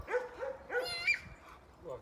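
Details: A pet dog, described by its owner as cute and kept at a grandfather's farm, gives a few short, high yelping barks with rising and falling tones, the third one sharper and higher, over quiet background voices.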